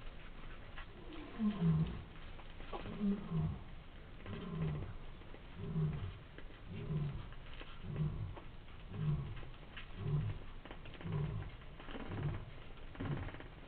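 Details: Cheetah cubs suckling from their mother, heard as a steady series of low, throaty pulsing rumbles repeating roughly once a second for over ten seconds, with faint rustling behind.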